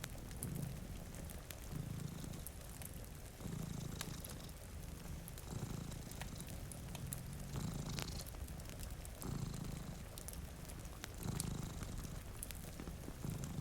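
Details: Continuous low purring from two cats asleep before a rainy window, pulsing in about eight inhale-exhale cycles, each near 1.7 seconds, while logs snap in a fireplace and rain falls steadily.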